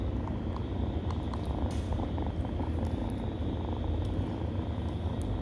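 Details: Nursing kittens from a stray litter purr in a constant deep rumble, broken by scattered faint clicks and light smacking sounds throughout.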